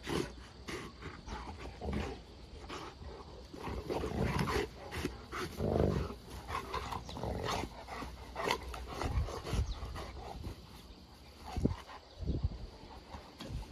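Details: Newfoundland, a water rescue dog breed called the Viking dog, giving low, rough, breathy growl-like bursts in irregular runs over about fourteen seconds, with steady background hum.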